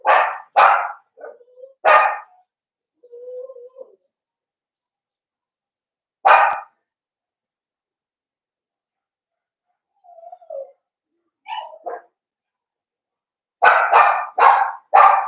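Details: Barking from a litter of five blenheim Cavalier King Charles Spaniel puppies born at New Year's to Paris and Spike: quick yaps come in clusters, separated by quiet gaps and thin, low whines, ending in a rapid run of four barks.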